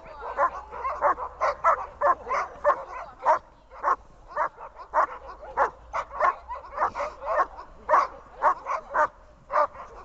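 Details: Dog in training giving a long series of quick, high yappy barks, roughly two per second with brief pauses, over a low background hum.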